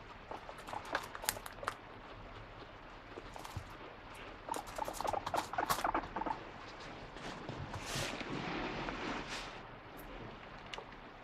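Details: Guinea pig complaining because it got no snack, wanting vegetables: fast bursts of short squeaks mixed with rustling and tapping, plus a broad noisy swell of handling sound partway through.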